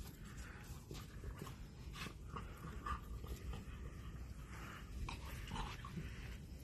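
A Bull Terrier pants and gives soft, breathy whimpers over low, rumbling background noise.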